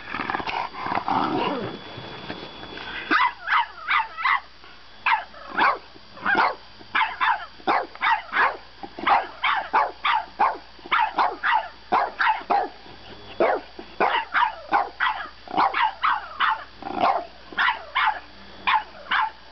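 A French Bulldog puppy yaps and barks in quick, repeated bursts, protesting bedtime.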